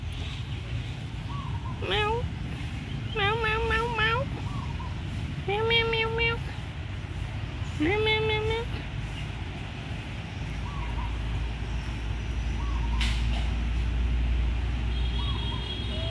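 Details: Abandoned kitten, described as smart and friendly, in a pagoda, meowing four times over about six seconds. The meows are short, high and slightly rising, with a steady low rumble in the background.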